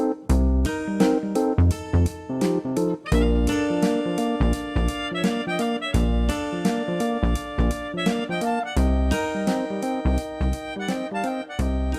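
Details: Instrumental background music with plucked guitar-like chords and rhythmic low notes throughout, with no animal sounds heard.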